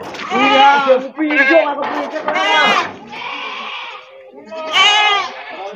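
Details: Goats at the morning Wage livestock market in Wadaslintang, Wonosobo, Central Java, where Etawa crossbred and Javanese Randu goats are sold; several loud, wavering, nasal bleats overlap in quick succession, with a quieter break before a final strong bleat.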